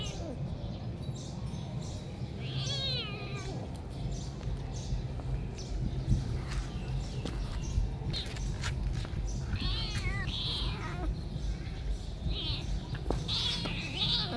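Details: Three kittens chasing each other and playing around a house with a new kitten; several short rising and falling meows near three and ten seconds, with steady low household rumble and scattered thumps from play.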